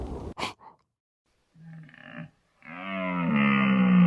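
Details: Growls from a deer come in two voiced bursts: a short rough one, then a longer sustained moan with rich harmonics that grows louder toward the end. Brief clicks and lip-smack sounds come first.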